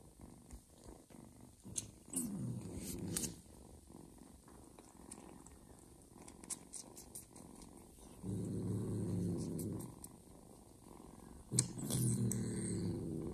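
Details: Mother cat purring while nursing a little ginger foster kitten she first refused, indoors; low rumbling purr in bursts around two to three seconds and again from eight to eleven seconds, with faint rustling and a few soft clicks between.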